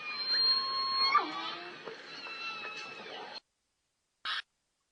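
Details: A big group of endangered southern resident killer whales in the Salish Sea calls all together: overlapping squealing, rising and falling tones in a dense chorus.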